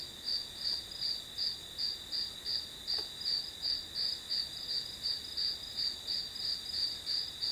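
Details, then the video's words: Grass insect chorus played as white noise for studying: evenly repeated high chirps, close to three per second, ride on a steady piercing tone; one faint tick near the third second. "풀벌레 소리"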